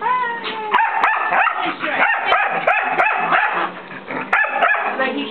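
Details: Mixed-breed white dog, roughly one year old, barking in the face of a friend's nine-year-old long-haired Chihuahua to get it to play; bright, harmonic yaps repeat irregularly, a little under one per second, in lively clusters.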